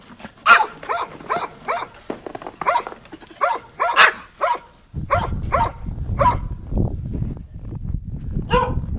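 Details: Barking from a pet dog, fast and repeated, with some yip-like notes, heard over steady low rumbling noise that grows louder in the later part.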